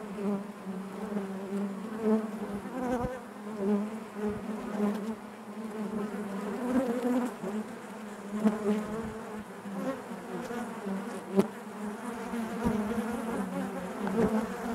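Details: A colony of honey bees buzzing inside the hive, steady low drone with layered harmonics, gently pulsing in loudness, with occasional faint clicks from bees moving close by.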